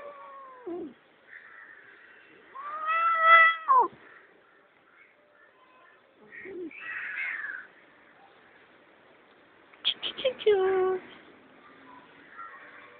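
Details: A pet cat meowing loudly in drawn-out wails that bend downward, spaced several seconds apart, with a person's voice and soft household noises between the cries.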